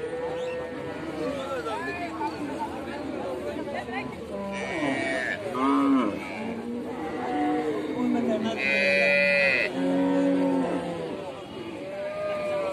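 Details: Cows mooing during milking, several drawn-out lowing calls with rising and falling tones overlapping across the recording, under constant background music.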